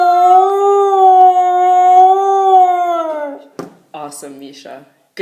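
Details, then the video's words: Domestic dog howling in response to a police siren: a long, steady tonal howl with rich harmonics held about three seconds, then falling away, followed by a person's praising voice. "howling to a police siren"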